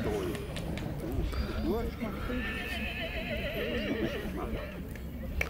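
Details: Black Forest draught horse filly, born 18 February 2021, shown at the draught-horse foal show in Sankt Märgen, Germany, on 12 August 2021; a quavering, wavering whinny rises and falls mid-clip over steady announcer speech and crowd murmur.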